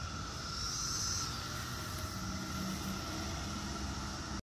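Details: Cicadas sing in a steady, unbroken droning chorus over a hissy background outdoors in 2021, with cats nearby hunting for cicadas to pounce on.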